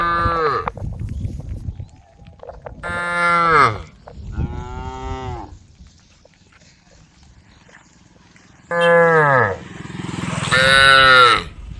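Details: Female cows, tame and walking as a group along a road by rice fields, calling to their herd with a run of drawn-out moos, several in quick succession, a quiet gap, then two louder overlapping moos near the end.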